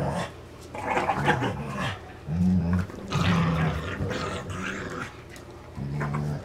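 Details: Dane and Polo, two dogs, play with a rope toy inside; gravelly low growls come in uneven bursts with rough, gargling texture, mixed with scuffling and mouthing noises.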